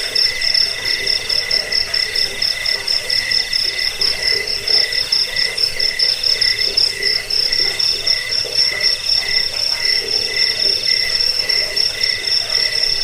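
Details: Crickets whose recording serves to chase off rats, help sleep and teach caged birds; continuous piercing high-pitched trilling in steady layered bands, finely pulsed and unvarying across the clip, no other clear sounds.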